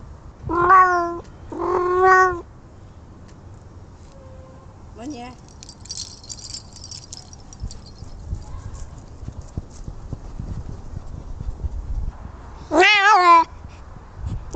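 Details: Kitten making strange noises: three loud, long, wavering meows with rich harmonics, two close together at the start and one near the end, separated by quiet rustling and a brief squeak.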